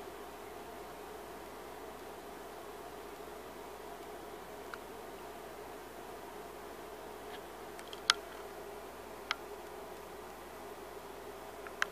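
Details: Quiet room hiss with a few isolated ticks and clicks near the end, no animal voice.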